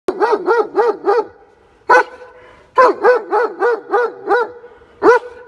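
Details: German Shepherd dog in Baloda Bazaar Bhatapara, Chhattisgarh, India, giving a quick run of four yelping barks, then a single bark, then a longer series of six to seven rhythmic barks and a final sharp bark.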